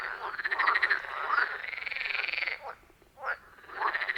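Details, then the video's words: Forest pond frogs, iPhone 14 Pro plus Shure MV88+ recording: a long continuous pulsed trill dominates, followed by a pause and a few short croaks, other frogs faint behind. "Frog Sounds at a Forest Pond"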